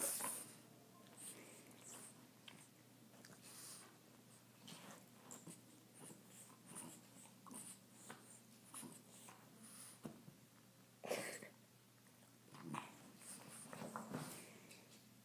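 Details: A French Bulldog struggling to reach a tennis ball on a couch gives raspy snorts and wheezy huffs at uneven intervals, with heavy, noisy breathing between bursts, indoors.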